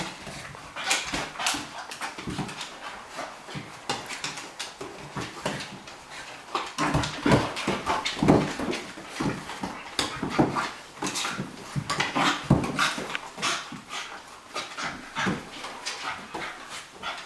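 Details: Bonzo the Cairn Terrier and Pippi the Flat-coated Retriever play together indoors, giving a steady run of short, rough, breathy growls and snuffles with scuffling bursts, some louder clusters, over roughly seventeen seconds.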